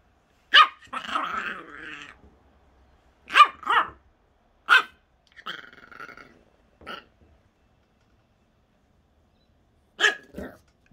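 A Jack Russell puppy gives sharp, high yaps, some trailing into brief growly whines.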